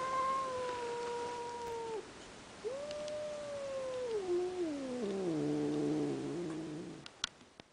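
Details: Cat watching a rival cat through a window, uttering long moaning yowls that sag and step downward in pitch, several drawn-out wails in succession, ending with faint clicks.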